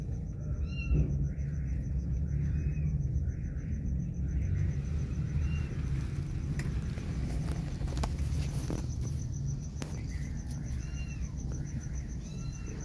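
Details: Kittens left alone, reacting as their mother cat comes back: bursts of high, arching mews repeated in quick succession early on, then again near the end, over a steady low rumble of background noise.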